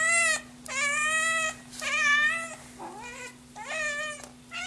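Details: Hungry Scottish Fold kitten calling in loud, long meows, four main cries plus a softer, lower wavering one in the middle, roughly one per second; steady low hum behind.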